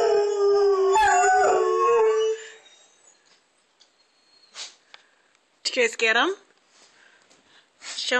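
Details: Two pet dogs, Bogart and Baylor, finish a howl triggered by a fire truck siren; the drawn-out wail fades after two seconds, followed by quieter sounds and a short rising whine near the end.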